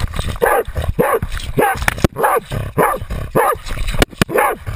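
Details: Jagdterrier named Otto baying a 250 lb boar, recorded on a GoPro camera worn by the dog; loud, harsh barks repeated roughly every half second in steady bursts, with rustling and thumps of movement between them.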